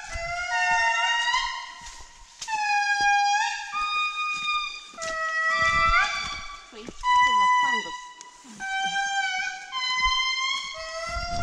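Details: Wild indri family in Andasibe-Mantadia National Park forest, Madagascar, July 2019, chorusing loud horn-like wails, long held notes stepping down in pitch, several voices overlapping in waves, with soft footsteps and brief murmured speech beneath.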